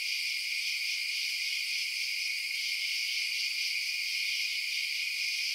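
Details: Crickets at night give a dense, even, piercing trill that holds steady from start to finish with nothing else audible.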